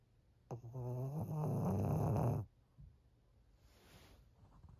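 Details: Thirteen-year-old female Pug Maria, fawn-coated and living in Japan, lets out one long rattling snore of nearly two seconds with a rough, fluttering texture, then only faint breathing and room hush.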